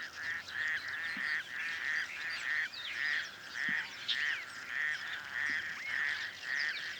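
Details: Male toad hidden in the reeds of a small dam on the outskirts of Cape Town, calling by day or night: a steady series of rasping, honking croaks repeated about every 0.6 seconds, with other toads chattering in the background.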